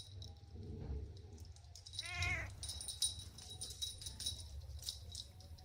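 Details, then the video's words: Playful kittens on grass give a single short, rising-and-falling meow midway, with faint softer mewing just before it; rustling, low rumble and a high steady hiss of insects run throughout. "Playful Kittens on the Grass – Soft Meows"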